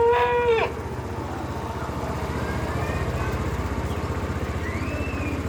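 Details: Cow; calf call; calf calling its mother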